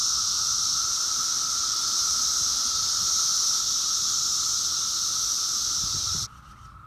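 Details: Thousands of 17-year periodical cicadas, a brood emerging 4 years early in a Sterling, Virginia yard's trees, in a mating frenzy make a steady, ear-filling, eerie droning whine that cuts off abruptly.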